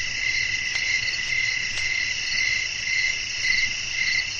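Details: Night ambience of crickets calling amid blowing wind. A bright, shrill pulsed chirp repeats roughly every half second, with two brief clicks early on and a faint low hum beneath.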